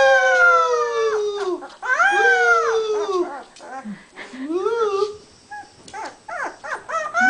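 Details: A domestic beagle bays in a run of arched, wavering howls, some long and some clipped short, separated by brief breaks and softer yips.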